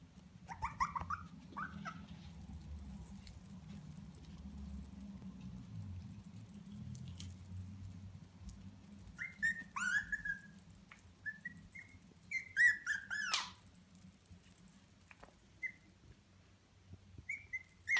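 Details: Male Russian Toy dog indoors making scattered short, high, thin whines and squeaks, some sliding downward, in loose clusters around ten to thirteen seconds, over a constant faint high-pitched electronic tone and low room hum.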